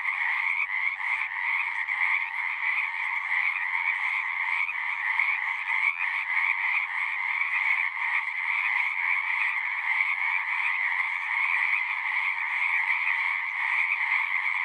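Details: Pond frogs in a horse pasture sing en masse, recorded on a Zoom 6; countless fast, grating trills blend into an unbroken, even, high-pitched drone that holds steady throughout, with no other sounds.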